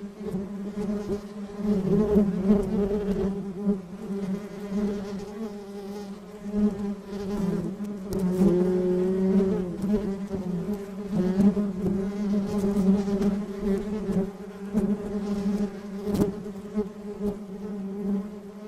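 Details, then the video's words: Colony of honey bees droning steadily, a rich layered hum centered low with harmonics, one bee briefly shifting pitch upward near the middle, intensity rolling gently throughout. "Gerçek Arı Sesleri"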